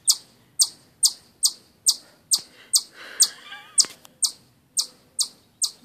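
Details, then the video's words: Chipmunk calling with rapid, high-pitched chip notes, a little over two per second with slightly uneven spacing. A faint warbling bird is heard briefly in the background midway. "Chipmunk chirps"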